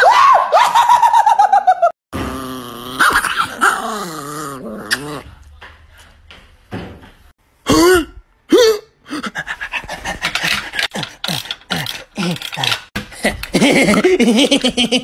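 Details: An angry Chihuahua snarling and growling with rising and falling whines and sharp barks in bursts, while a person repeatedly says hello, stop and shh in a small room.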